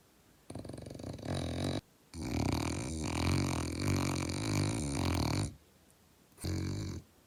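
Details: A male French Bulldog snores while snuggling with a 2-month-old baby, in long, rattling, low-pitched breaths with short quiet pauses between them.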